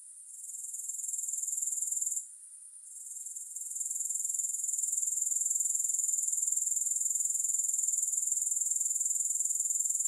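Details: Grasshoppers calling without music: a continuous high pulsed trill that fades in, breaks off briefly after two seconds, then returns and holds steady and loud to the end.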